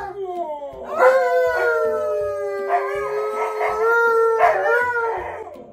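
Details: K'eyush, a stunt dog worked up over gift bags of treats and toys, lets out a rising howl that holds a steady wavering note, then breaks into a brief yelping burst, with music beating softly behind.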